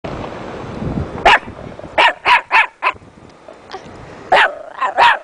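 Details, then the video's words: A pet dog named Beckett making odd noises: a string of short, sharp barks, one at about 1.3 seconds, then four quick ones in a row, then a final cluster of three, over a faint indoor hum. "beckett makes crazy noises"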